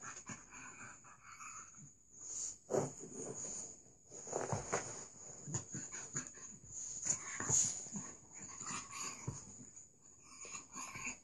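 A Staffordshire Bull Terrier makes wheezy, rasping growls in uneven bursts over a steady high hiss.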